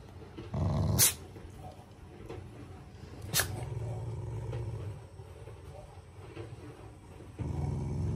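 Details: Affectionate rather than angry growling from a family Shiba Inu: short low grumbling growl phrases separated by pauses, with a couple of sharp clicks or taps in between.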